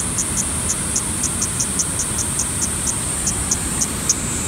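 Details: Kaempfer cicada at Sogi Falls, Kagoshima Prefecture, Japan, on 13 July 2020 at 12:49: a steady, thin, high-pitched drone runs throughout, dotted with short regular ticks about every quarter second. Broad low rushing noise lies underneath.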